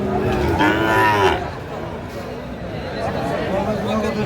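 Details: Sahiwal bull calves at a Kurigram cattle market in Bangladesh while buyers haggle; one short rising-and-falling moo lasting under a second, then market chatter and hum.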